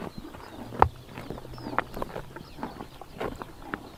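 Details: Grass-chomping horses in Mongolia's Tuv province on a summer morning: sharp crisp crunches and rips roughly every half second, one loud bite near the start, with a faint bird chirp in the background.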